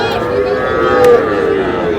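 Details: Sahiwal bull calf at a busy cattle market in Madaripur, Bangladesh, on 3 April, giving a steady, drawn-out moo lasting about two seconds, with rich stacked harmonics, over a background of crowd chatter.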